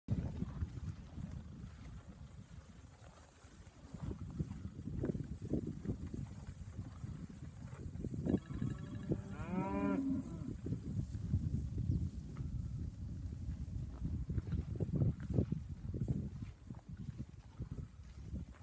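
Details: Angus heifers from a group of thirty give one drawn-out moo with stacked harmonics, rising then falling, about two seconds long midway through. Steady low rumbling noise, like wind or handling, fills the rest.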